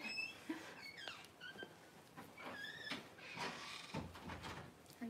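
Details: Paris, a Cavalier King Charles Spaniel, whelping her first two puppies on January 1, with her newborns giving repeated high, wavering squeals and mewling cries. Quiet human voices mix in.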